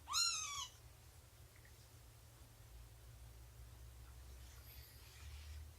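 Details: Single brief, high meow that bends downward, from a cat in a quiet indoor room during morning nursing and play time with Shelby, a roughly two-year-old mother cat, and her three-month-old kittens; only faint room hiss follows.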